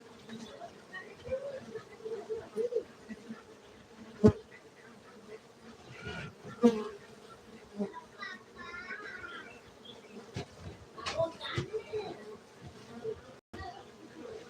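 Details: Honey bees at a honey bee cultivation centre in Gayo, Aceh, Indonesia: a steady low droning hum runs throughout, with scattered clicks, knocks and faint distant voices over it.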